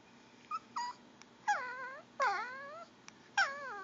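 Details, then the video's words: Begging female Pomeranian wanting goldfish crackers: short yips followed by three falling, gurgly whines in quick succession, with faint clicks between. "pomeranian making gurgling whine noises"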